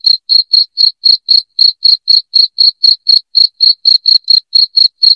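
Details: Loud cricket chirping, played to drive rats from the home: sharp high pulses repeated about four times a second in a steady, slightly uneven train, with a faint higher overtone and no other sounds.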